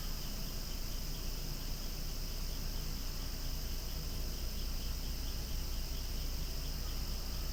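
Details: Cicadas buzzing loudly near swaying flowers outside, one seamless shrill hum filling the clip, underlain by persistent low-pitched rumble.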